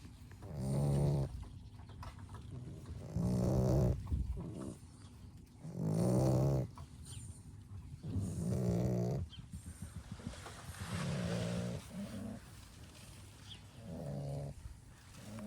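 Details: Labrador Retriever puppies from a B litter rest after exploring, snoring loudly: low, buzzy, rattling breaths repeat about every two and a half seconds in a steady rhythm, each swelling then fading.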